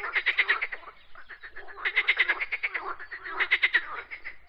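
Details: Frog croaks come as grouped trains of quick raspy clicks, three main bursts roughly every one and a half seconds, with fainter croaking filling the pauses.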